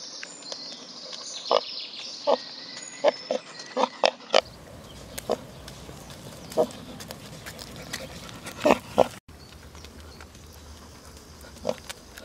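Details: On a hot summer day walk, pot-bellied pig Reza keeps up short low grunts at irregular intervals, roughly one or two per second, against rustling outdoor noise and faint high-pitched chirping.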